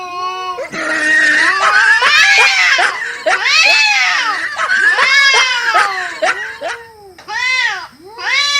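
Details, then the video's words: Cats fighting: loud, harmonic yowls and screams rising and falling in overlapping arcs, nearly continuous for about seven seconds, then shorter wailing bursts near the end. "Cats Fighting with sound"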